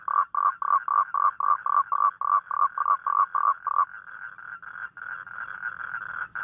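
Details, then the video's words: Toad calling at night, a rainy-night mating call: a fast series of short mid-pitched croaking pulses, about three to four a second, merging into a steadier overlapping trill after four seconds. "เสียงร้องคางคกตอนกลางคืน | The Sound Of Toad At Night"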